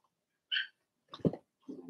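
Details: Cavalier King Charles Spaniel puppies, Blenheim, from a first litter of six born March 7–8, kept in an indoor pen; a short high whine is followed by two rougher, lower grunting yelps.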